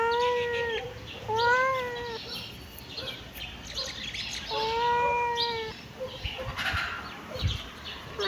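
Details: A kitten gives three drawn-out, mid-pitched meows, each about a second long with a slight rise and fall, spaced by short pauses, followed by fainter rustling and shuffling noises near the end.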